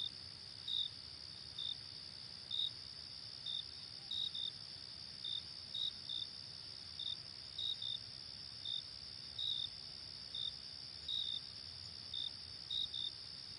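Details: Crickets on a late summer night give clipped, high-pitched chirps at irregular intervals, some doubled, set against an unbroken shrill insect drone.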